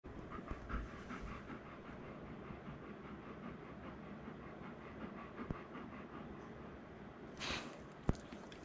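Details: Male Golden Retriever pet indoors, gently gnawing then getting more excited during playful biting; quick rhythmic panting breaths throughout, with a brief rustle and a sharp knock near the end.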